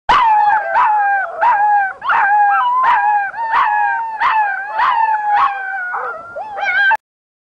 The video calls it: husky puppies howling